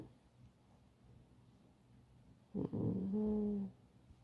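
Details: Pet fox named Alice, kept at home, lets out a single drawn-out tonal whine lasting about a second after a brief rustle, a level, nasal moan in a quiet indoor room.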